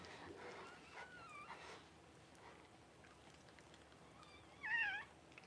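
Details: High, wavering squeal from a newborn Cavalier King Charles Spaniel puppy as its mother Paris whelps on January 1, preceded by fainter thin whines, with quiet background hiss.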